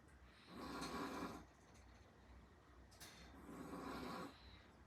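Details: Asleep, the eight-month-old Chihuahua Zhaocai gives rough, wheezy snores, one per breath roughly every three seconds, each swelling for about a second before fading into near silence.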